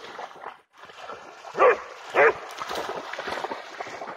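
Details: Pharaoh Hound Jax, eagerly trying to catch a bug-hunting bat over water, gives two short, sharp barks about half a second apart, set against a steady rushing, hissing background.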